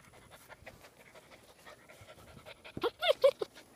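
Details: Seven-week-old German Shepherd Dog puppies on their first outing outdoors on a hot day, one panting in quick, breathy, rhythmic puffs, followed at the end by a person talking close by.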